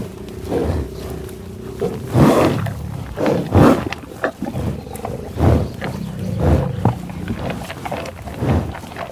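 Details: Buffaloes growling loudly and mooing: a string of deep, harsh bellows and grunts, some with a tonal moaning quality, repeating roughly every second, one overlapping another, fairly close.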